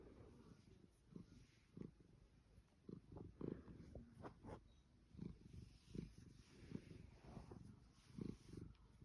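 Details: Pet Savannah cat in blissful contentment during a long fussing session, purring softly: a quiet, low rumble pulsing in uneven beats, each breath cycle marked by a gentle swell, with light handling noises.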